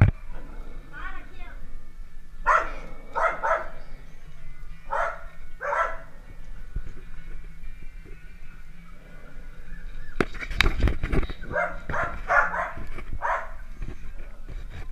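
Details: Playing Dalmatian puppies give sharp, high yaps one at a time, spaced a second or two apart, against a low steady hum. A burst of clatter comes partway through, followed by further quick barks.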